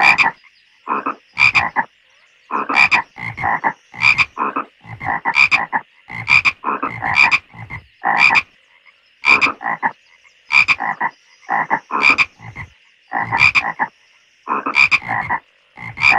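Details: Long chorus of frogs croaking in a pond: a steady run of harsh, double-pulsed croaks about every second, bright ringing notes interleaved with lower raspy ones, over a faint continuous high whine.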